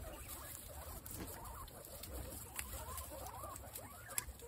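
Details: Female guinea pigs from a herd of twenty-six, crowding around apple; steady crunching and rustling patter with soft wavering squeaks rising and falling throughout, a few sharper clicks near the end.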